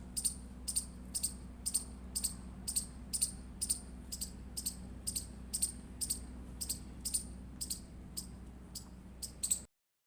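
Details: Indian palm squirrel chirping: sharp, high, clipped chips repeated steadily about every half second for nearly ten seconds, over a faint low hum and background noise, ending abruptly.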